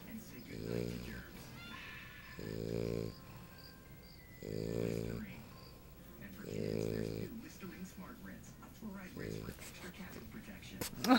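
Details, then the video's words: Lucy, a sleeping English Bulldog puppy girl, gives a steady series of five harsh, rumbling snores roughly every two seconds, each with a fainter whistling breath between, and a soft voice at the end. "English Bulldog puppy girl sleeping and snoring"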